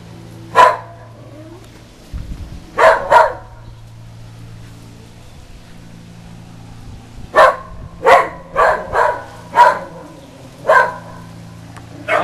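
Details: A normally quiet female whippet barks at the Goodyear blimp flying close overhead on a beautiful day, sharp single barks in irregular frenzied bursts over a low, steady hum.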